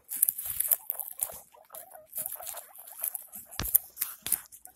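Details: Pet guinea pig around the birth of six young: a run of short, high wavering squeaks repeated quickly over several seconds, mixed with rustling and scratching bedding noises.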